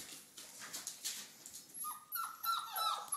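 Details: Four-week-old red rust Doberman Pinscher puppies at play, tails wagging as they run about; soft rustling gives way to a quick series of high, falling whines and yelps, roughly three per second.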